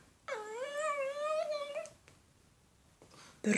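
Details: A pet Shih Tzu named Andro, doing dog tricks on command inside, lets out a single long, smooth, whining note. It swoops up and wavers slightly before fading, with near silence and a soft click afterward.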